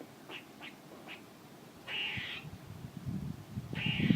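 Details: Squirrel calling: three short high chips, then two longer harsh, buzzy, nasal calls about two seconds apart, over low rumbling background noise.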